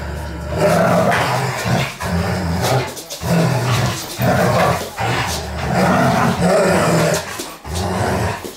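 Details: Dobermanns playing together: loud, rough, continuous growling and snarling in long bursts, broken by brief pauses about every second or two.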